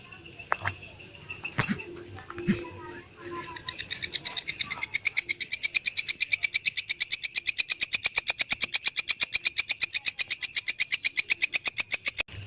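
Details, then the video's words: Belalang kecek grasshopper used as a songbird training master: a few scattered clicks and faint tones, then from about three seconds a sharp, brisk, regular buzzing tick train lasting until the end. "Suara Belalang Kecek asli"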